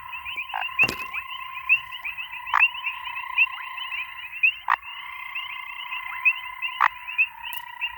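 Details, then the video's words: Grey foam-nest tree frog giving short, harsh broadband croaks spaced roughly two seconds apart, set against a constant droning background chorus of layered tones with fast repeated ticking notes. "Cute frog makes ALIEN sound"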